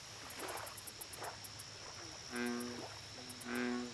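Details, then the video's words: Lake recording of an American bullfrog. Faint splashes and drips open the clip, then two strong, low, buzzy, harmonic notes about a second apart. A steady high insect hum and ticking sound behind them. "Bullfrog Lake Audio Only"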